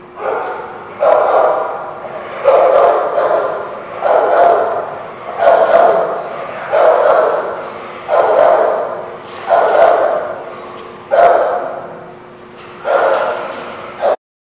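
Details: Dog barking in a steady series, about one loud bark every one and a half seconds, each bark mid-pitched and ringing, with a faint voice underneath; recording dated 3/5/16.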